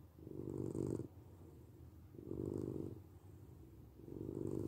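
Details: A domestic cat purrs in deep, even rumbles, three swelling breath cycles with quieter gaps between, slight breathy hiss at each peak, nothing else audible.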